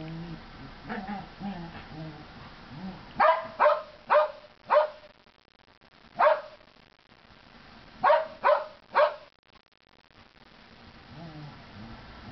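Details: Chihuahua and Norwegian Elkhound playing together outdoors in snow during a hard 2010 freeze; sharp, short barks in bursts, three quick barks then singles and another trio, with faint voices early on.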